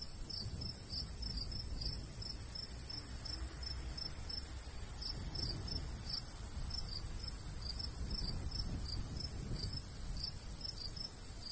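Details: Crickets in a summer wheat-field countryside, two high chirping voices at slightly different pitches overlapping in quick, uneven pulses, with a constant low murmur of light breeze underneath.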